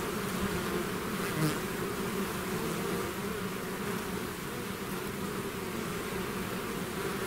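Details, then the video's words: Honeybee swarm pouring out of its hive, a dense continuous drone with steady low hum bands and a faint higher whine, even loudness throughout, no other sounds. "bees therapy swarm natural buzzing sound"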